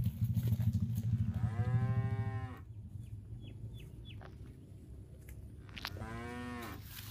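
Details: Grazing cattle wander through a grassy park, one giving a long low moo, then a pause with faint high chirps, then a second shorter moo, above a low rumbling background.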